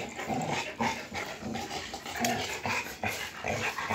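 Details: Rottweilers disputing a motorcycle tire, quieter rapid snarls and huffing growls repeated in short pulses, mixed with scuffling and rustling noise.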